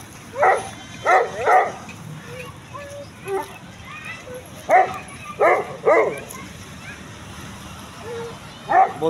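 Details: Pakistani Bully dog, also called Desi bully, barking in short bursts of two or three, with pauses between groups and a man talking in the background.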